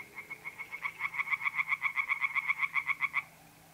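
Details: A tree frog calling by night in a pond in North-East Italy, mid-April: a loud, steady run of about twenty quick nasal croaks, roughly six per second, then abrupt quiet.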